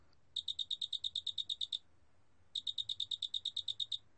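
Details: A large mottled cricket gives two bright, high chirping trills of rapid, evenly spaced pulses.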